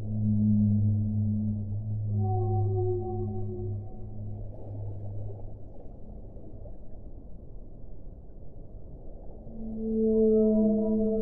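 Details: Whale song: a deep, sustained low moan with a faint higher tone for the first few seconds, then a dull rushing gap, then a brighter, wavering, harmonic cry near the end, all over continuous low background noise.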